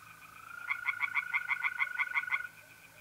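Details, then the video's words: Tree frog calling at night in mid-April from a pond in north-east Italy: a short burst of about a dozen quick pulsed croaks, set against the even, unbroken trill of mole crickets. "relaxing singing tree frogs in pond and trilling mole crickets by night"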